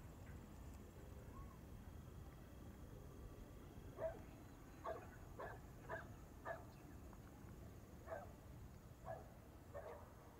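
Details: Dog barking outdoors at a distance: after four quiet seconds, single sharp barks come about once a second, eight in all, over low rumbling background noise and a faint steady high hum.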